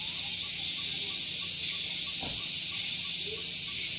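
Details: Shrill cicada song on a morning at Gunung Geulis, Bogor, Indonesia, recorded near a vehicle parking area: a constant high buzzing hiss with faint soft background chirps and a brief low sound midway.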